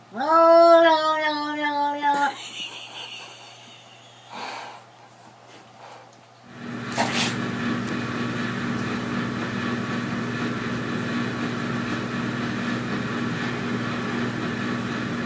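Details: A frightened domestic cat gives a loud, tense yowl that rises and then holds steady for about two seconds, breaking off abruptly; a quieter stretch follows, then a steady engine-like rumble fills the rest.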